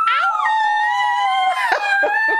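A Miniature Schnauzer gives a long, high, wavering howl that slowly slides downward, answering a person's howl.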